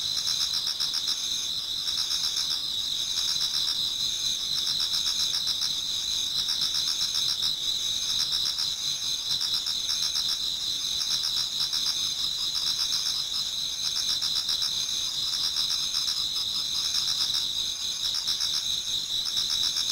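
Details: Many autumn insects singing in a Japanese garden towards dawn: a dense, steady high chorus of shrill trilling tones, with fast pulsed chirps layered over a constant ringing band and quieter rhythmic trills beneath.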